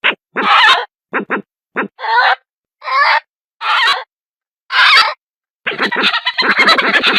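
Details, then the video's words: Badger giving a series of hoarse, grating squeals and brief clipped yelps at irregular intervals, ending in a longer stretch of rapid, rough chattering; quiet between calls. "SONIDO DE TEJÓN"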